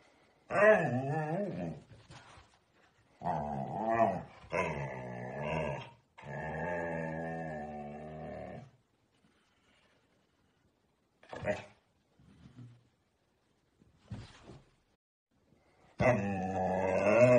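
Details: A teenage Siberian husky grumbles and howls in long, wavering, talkative bursts with a few short clicks between, apparently objecting to being looked at.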